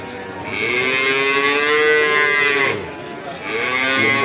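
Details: Cattle at a sale in Ambarketawang, Sleman, shown as qurban stock; a sustained, rich moo swelling through its middle, then a second moo beginning after a short pause, with a high hiss of music and voices.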